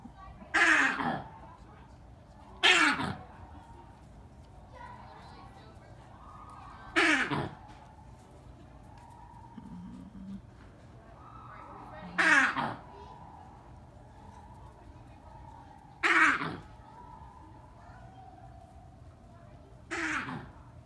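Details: Black crested mangabey at a zoo, screaming nonstop and audible around the grounds: six loud, harsh, broadband shrieks about every two to five seconds, each falling in pitch, with faint background voices between them.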